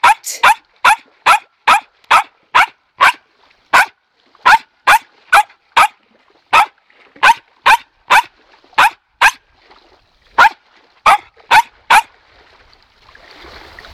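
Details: Wilma, a dog in training, barking from pure anticipation and joy over toys, sticks and balls: sharp bright barks repeated about every half second in a steady run, pausing briefly near the end, with a short spoken command "sitt" nearby.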